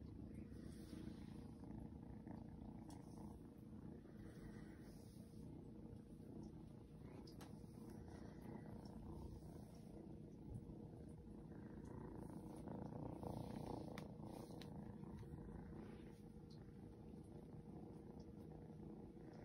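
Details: Shadow, a seal point Ragdoll kitten, purrs as it is patted and shown affection; continuous low throbbing purr with faint rustling and handling noises on top.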